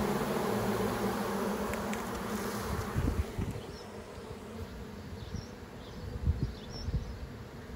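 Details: Bee swarm entering a new hive box after leaving a branch, queen inside; steady buzzing hum that fades after three seconds, leaving softer buzz with scattered bumps and handling knocks.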